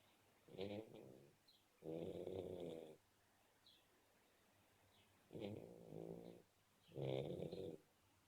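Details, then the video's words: A sleeping black Shar Pei puppy snores indoors. There are four long, rasping, raspy-throated snores, each lasting about one to one-and-a-half seconds, separated by quiet pauses. "Shar pei puppy snoring!!!"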